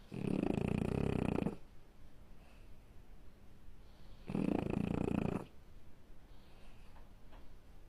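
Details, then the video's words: French Bulldog asleep, snoring loudly: two heavy, grating snores about three seconds apart, each around a second long, with soft wheezy breaths in the gaps. "Snoring French bulldog"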